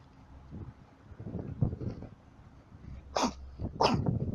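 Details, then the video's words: Yard dog puppies, met along the way while traveling, which act unusually when approached: soft low rustling and sniffing sounds, then two sharp, breathy snort-like bursts about half a second apart. "Funny Puppies Of A Yard Dog"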